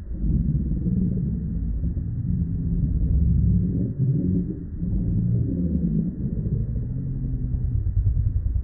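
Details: Two wild male lions fighting to become king: deep, continuous rumbling growls with low harmonic bands, swelling and easing in waves for several seconds, no other sounds.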